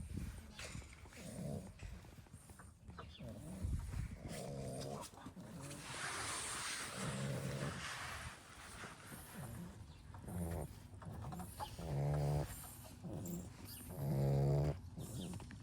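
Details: Several Labrador Retriever puppies of a B litter snore loudly while resting after exploring; uneven, low rasping breaths swell and fade, with a louder buzzy snore near the end over a steady background hiss.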